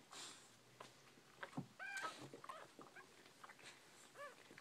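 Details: Newborn Bull Pei puppies indoors giving a few short, high squeaky whimpers, some sliding slightly upward, scattered among soft rustling and faint clicking sounds.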